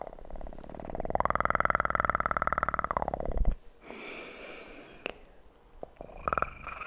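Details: A kitten's loud, rapid purr, recorded up close for ASMR, pulses evenly for about two and a half seconds before stopping abruptly, followed by quieter rustling, light taps and handling sounds.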